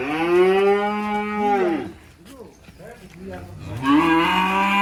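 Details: Black sacrificial cattle unloaded from a truck in the countryside: a long, loud, steady moo that falls off at the end, a brief lull with scuffling, then a second moo rising into a sustained low bellow.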